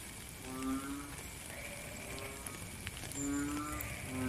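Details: Frog calling during rain, giving a few brief droning honks with a rich buzzy tone, spaced a second or more apart, against constant rain patter and hiss.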